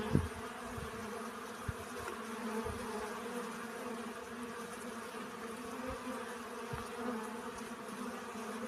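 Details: Buzzing honey bees collecting pollen: a smooth, sustained hum with clear overtone bands, a short sharp knock at the very start and occasional faint low thumps.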